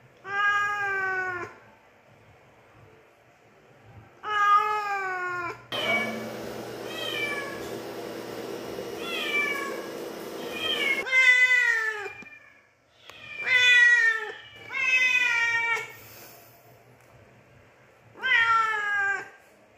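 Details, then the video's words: Cat giving a run of drawn-out falling meows with strong harmonics, several in quick succession near the end, over a background hiss and low hum in the middle stretch. "Cat Meow Sounds"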